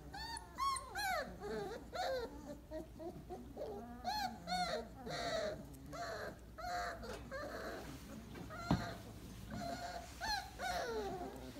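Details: After breakfast, 28-day-old Weimaraner puppies lie in a pile and whine quietly. Faint, drawn-out, rising and falling whimpers recur in loose clusters over a steady low background hum, with a single sharp tap midway.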